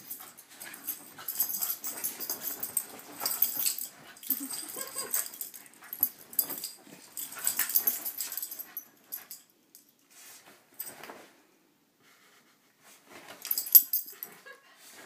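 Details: Several Corgis brawl on a bed in the morning, scuffling with breathy snorts, wheezy huffs and rough growling bursts; the tussle ends with one dog backpedaling off the bed.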